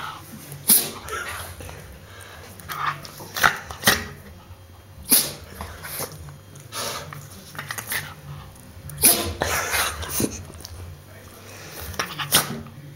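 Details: Bobbie the dog sneezes repeatedly indoors, sharp hissing bursts coming in loose clusters every second or two, sometimes a double sneeze, with faint snuffling and a constant low room hum between bouts.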